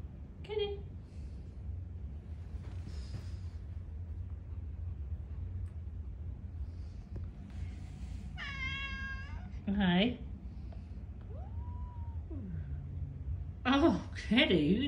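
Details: Ragdoll cat; hiss and yowls; aggression toward a visiting cat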